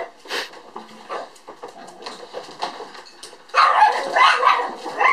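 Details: Apricot-coloured female puppy born April 17, filmed 11 December 2012, gives scattered high yips before a sudden loud burst of rapid, overlapping barking in the last seconds, indoors.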